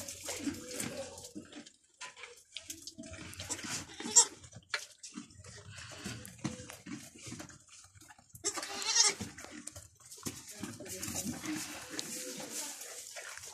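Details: Goat milked with difficulty while its kids stay close: a few short, nasal, tremulous bleats rise above steady rustling and splashing sounds of milking.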